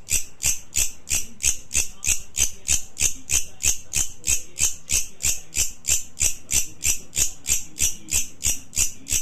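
A grasshopper's dry, hissing chirps repeat steadily about three times a second.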